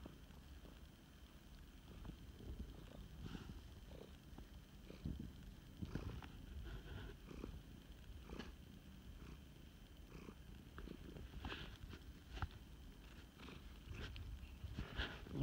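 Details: Rescued male flame point Siamese purrs while snuggling: a low, steady, rhythmic rumble rising and falling with each breath, plus light rustling and handling noises.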